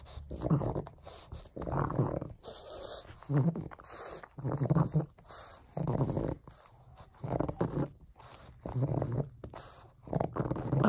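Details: Frank the pug, busy with a bone, lets out rough, low grunting bursts roughly every second, fairly regular, with faint background noise between them.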